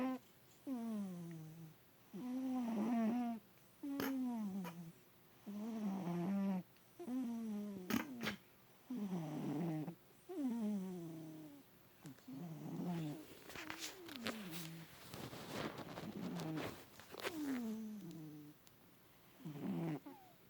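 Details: Bubba, an adopted domestic cat, snores loudly while asleep in a lap for the first time, his body twitching. Voiced, harmonic snores fall in pitch with each breath, about every second and a half, fairly steady, with faint clicks and rustling in a small room.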